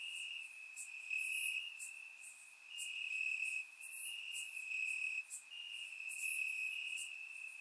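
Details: Night chorus of crickets in summer grass, Bulgaria, captured with a surround microphone: a constant shrill trill forms the base while louder chirping pulses come in clusters, with brief dips in loudness between them.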